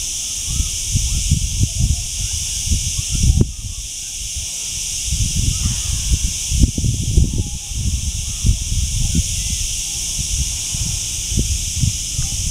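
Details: Cicadas keep up an even, piercing electric buzz, high and sustained for the whole stretch, dipping slightly twice, while low gusty rumbles of wind or handling noise come and go.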